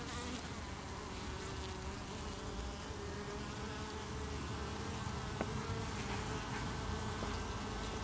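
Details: A honey bee colony at the hive defending against beewolf wasp (Philanthus triangulum) attacks, 8 August 2018, with bees chaining under the landing board. A thick, continuous swarm buzz with sustained low drone lines and faint scattered clicks.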